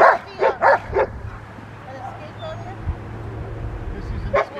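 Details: Rottweiler in schutzhund protection training: a rapid run of four harsh barks opens the clip, then a quieter stretch with low rumbling background noise, then a single bark near the end.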